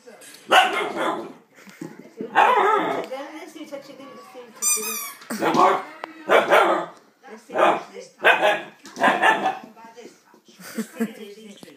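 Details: An Alaskan Malamute puppy, scared of a squeaky toy, gives short, rough barks and yelps, with the toy squeaking and a person's voice.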